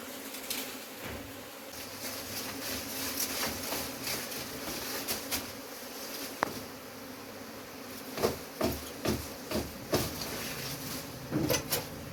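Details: Honey bees humming continuously while their hive is taken out, with frequent irregular clicks and scraping knocks from the removal, louder in the second half.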